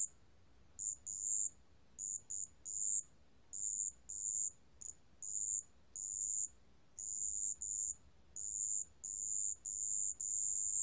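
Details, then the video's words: High, pure ringing notes of a marsh bell cricket, recorded in 2020 by Korea's National Institute of Biological Resources, come in irregular bursts of varying length, some short chirps and others sustained for about a second. "습지방울벌레, 여러번 듣기, 곤충소리"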